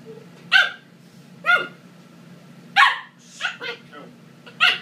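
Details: A 12-week-old Corgi puppy gives a string of short, high yapping barks at uneven intervals while playfully attacking a boy, both having fun.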